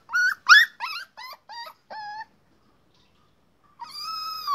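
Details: Tied-up puppy at a rural home gives six quick, high yelps that fade in strength, falls silent, then starts a long, steady, high-pitched whine.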